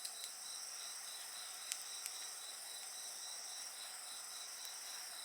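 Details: A continuous high-pitched insect chorus rings on alongside a crackling bonfire. Fast pulsed trilling sits under bright sustained tones, broken by a few loud pops from the fire.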